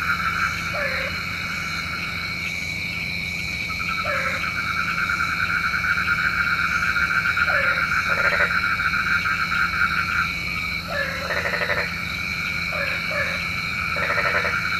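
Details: Frogs calling at night, a sound said to call the rain: steady dense buzzing and trilling chorus with short repeated croaking notes breaking through every second or two, over constant background hum.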